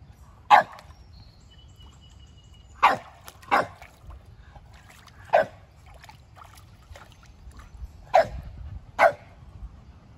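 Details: Kumo, a Keeshond, during his first pool experience, sharing two pools with his Boston Terrier brother Sully; six sharp, single barks ring out at uneven intervals over about ten seconds against a quiet background.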